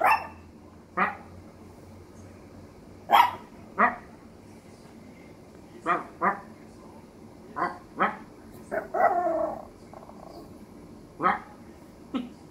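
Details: Duri, a little Maltese, gives short sharp barks spaced irregularly across the recording, with a brief longer yelping burst near the middle, against a quiet indoor background.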